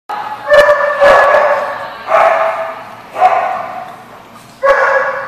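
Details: Dog barking at a place called The Barking Lot, recorded 26 September 2014: four loud, harmonic barks at uneven intervals of about one second, each with a bright onset and a slowly fading tail.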